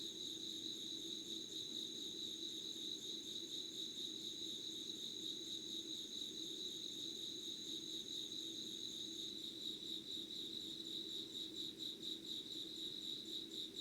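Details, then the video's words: An insect chorus recorded at 05:00 on 25 August 2019 in Yugawara, Kanagawa, Japan: a steady high trill runs throughout, while a second, higher continuous tone stops after about nine seconds; a low hum stays underneath. "Sounds of insects with candle light.☆ろうそくの灯りと虫の声"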